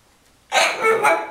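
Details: Pug named Polly barking while asking for treats that have run out, told they are all gone; a single loud, raspy bark drawn out with a second rise near its end, indoors.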